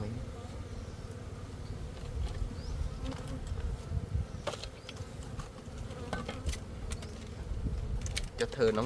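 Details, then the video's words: Honey bees buzzing in a steady low drone with scattered clicks and taps, while people speak Khmer faintly in the background. "Gold honey bee."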